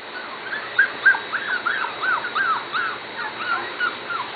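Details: Corgi puppies almost seven weeks old, from the Katie and Venus litters, give a quick run of high, thin squeaks and whines, each bending up then down, repeating several times a second with uneven spacing.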